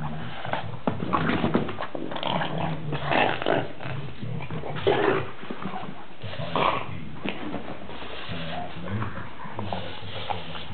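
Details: Pet dog growling while playing wildly with his favourite ball indoors; low rumbling growls with irregular snorting bursts throughout, steady over about ten seconds.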